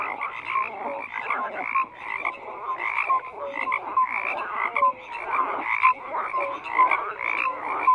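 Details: Croaking frogs calling as a group, rhythmic bursts about once a second alongside thin tonal blips, a busy overlapping chorus without other noise.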